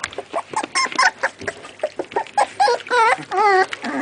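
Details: American Staffordshire Terrier (Amstaff) puppies from a kennel litter: a busy run of high, wavering whines and squeals, some yelps bending up and down in pitch, tumbling over each other in quick bursts with short gaps.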